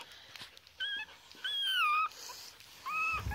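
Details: Three-week-old foster Chihuahua puppies at play indoors: three drawn-out whining squeals, each steady then bending downward, separated by short pauses, with faint background rustling.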